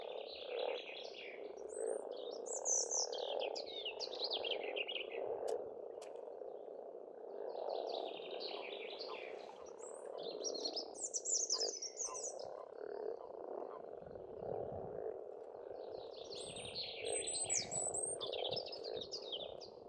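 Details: Spring frog chorus at a pond in Estonia: a steady, dense low croaking hum that runs without a break, while songbirds whistle and trill above it in repeated bright phrases.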